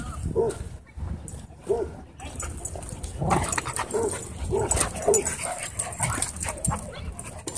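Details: Dog at a dog park where play was interrupted by a dogfight, barking in short bursts amid noisy crowd chatter, with a cluster of rapid barks in the middle.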